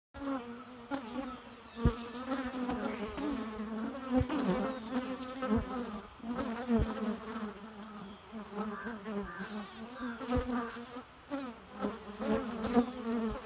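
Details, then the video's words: Bees buzz steadily throughout, a dense low droning hum with wavering pitch and layered overtones, as if several insects fly close by; occasional soft knocks and taps break through the drone. "Bee Noise"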